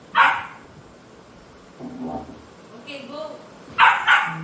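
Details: Labrador Retriever playing hide-and-seek at home, one sharp bark at the start, quieter human voices in the middle, then two more quick barks close together at the end.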